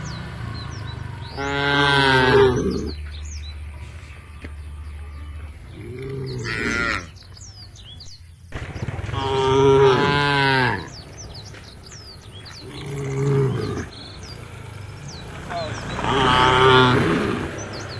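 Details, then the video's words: Tame cows in a herd walking towards a field at the forest edge, lowing in long, deep, harmonic moos, five of them spaced a few seconds apart, while small birds chirp and whistle high above. "A herd of tame cows is walking towards the field at the edge of the forest, the sound of the cows"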